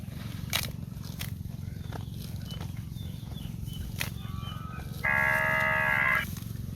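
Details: Cow out in green grass fields gives a single steady, tonal moo lasting just over a second near the end, after a faint shorter tone, over a constant low rumble with scattered clicks.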